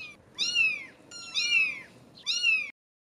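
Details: British Shorthair kittens, 17 days old, meowing: three high, slightly falling mews about a second apart, each short and bright with rich overtones, no music.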